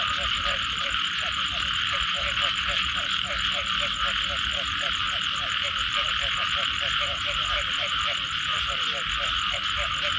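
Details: Frogs calling after rain: short low croaks repeated steadily through a dense frog chorus, over a constant high shimmering buzz with a fast pulsing trill above it.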